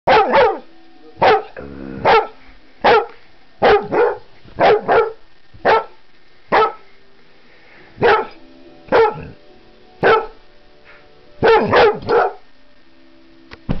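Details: Delilah, a Vizsla, woofing: a long run of sharp single barks, some doubled, spaced irregularly about every second, with faint low hum between barks.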